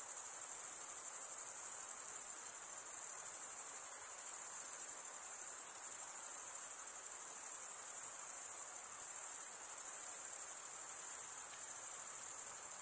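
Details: Male crickets stridulating, rubbing toothed wing veins together: a dense, steady high-pitched shimmering trill with no breaks, like many insects chirping at once, over a faint soft hiss in the middle range.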